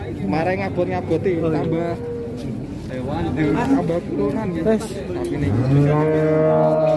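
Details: Farm cattle in Indonesia: chatter and voices fill most of the recording before a rising, sustained moo swells in near the end.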